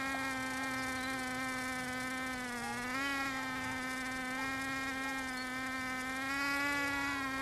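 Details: Bees in Finistère, Brittany, western France, heard as a steady, droning, harmonic buzz that holds an even low pitch throughout, with a brief wavering dip near the third second.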